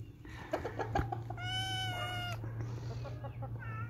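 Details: Kittens playing: a few knocks and scuffles, then one drawn-out level meow lasting under a second, followed by quieter fragments over a low hum.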